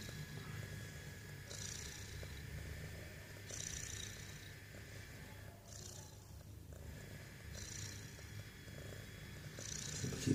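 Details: Domestic cat snoring: a steady low rumble with breathy, hissing bursts about every two seconds, each swelling and fading, all through the recording.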